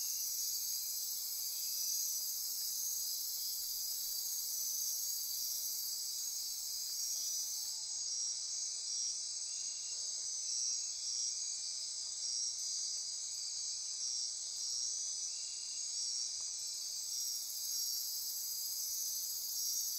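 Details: Night insects in the rainforest of Costa Rica's Osa Peninsula near Corcovado, a dense high shrill chorus of several trilling layers; the very highest buzzing drops out for about ten seconds midway, then returns.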